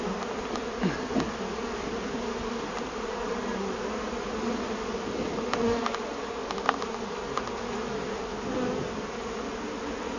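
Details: Many agitated honey bees from a large hive inside a tree that fell at the edge of the Merrimack River, hot summer day, during hive rescue; dense, steady low droning buzz with faint clicks and knocks.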